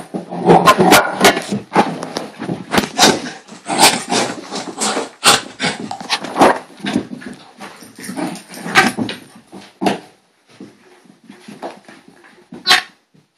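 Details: A female pet dog in a hyper, excited moment barks continuously indoors, rapid harsh overlapping barks and yelps, easing into softer scattered whines and whimpers near the end.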